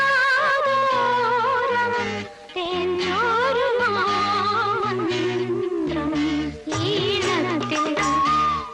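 Indian film-style music with a wavering, ornamented vocal line over steady rhythmic accompaniment; no bird or other animal voice is heard.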